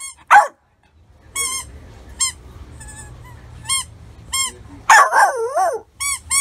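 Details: High-pitched, clear dog yaps from a funny dogs and puppies barking compilation, single sharp notes spaced irregularly about a second apart, with a short wavering whine-like burst near the end over a faint low hum.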